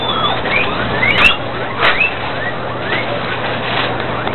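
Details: Guinea pigs at a breeding farm in Sandoná, Nariño, Colombia, giving thin, high squeaky chirps, some rising and some falling, scattered irregularly over a steady hum and rustling background noise.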